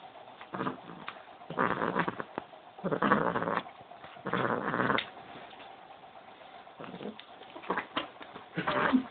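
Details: A male house cat in an angry mood growls and yowls in rough, noisy bursts lasting up to a second, rising and falling in loudness, separated by brief quieter gaps.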